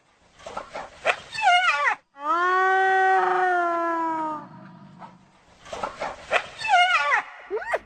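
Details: Hyena vocalising to keep in touch with the group: quick chattering, giggle-like yelps with arched pitch bursts frame one sustained, smooth, harmonic moan about two seconds long, then more rapid chattering.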